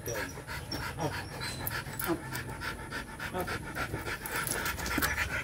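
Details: Rottweiler dogs during mating, one panting fast and steadily, about three breaths a second, breathy and rasping, with faint background voices.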